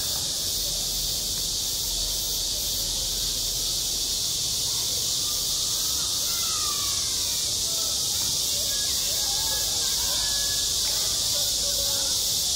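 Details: On a school playground in high summer, many cicadas keep up a loud, continuous high-frequency drone, unchanging across the stretch, with faint distant voice-like sounds beneath.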